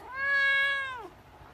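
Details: A domestic cat utters one long, even meow that holds its pitch and then drops away sharply at the close, in a quiet indoor setting.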